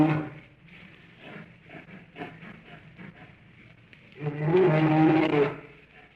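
Soft, low grunts and breathy huffs come first, spaced irregularly. Then a bear lets out a loud, rasping roar lasting over a second before it fades away.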